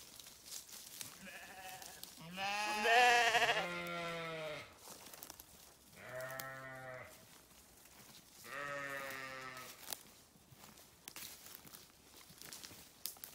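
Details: Sheep giving loud, wavering bleats, three long quavering calls with rich harmonics, the first strongest and slightly rising, with quieter gaps and faint background noise between.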